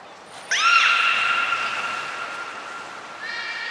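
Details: Captive beluga at Port of Nagoya Public Aquarium, among Hodoi, Taanya and Mirai, recorded during pool transfer and training on 23 February 2021; a quick rising chirp opens into a long, level, pure whistle with bright harmonics, followed by a softer second tone.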